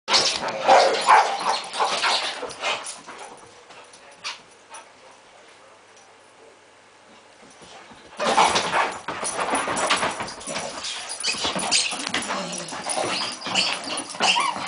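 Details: Springer Spaniel named Tommy guards his balls from the household's other dog Jayde, grumbling and yipping in bursts; a noisy stretch, then a quieter pause, then renewed rough growls and whines with play sounds.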